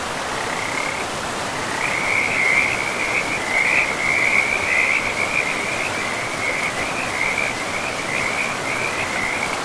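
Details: Frogs in a pristine forest beside a river, calling in a steady run of high, rattling trills that blur into one another for most of the stretch, over a constant rushing hiss of flowing water.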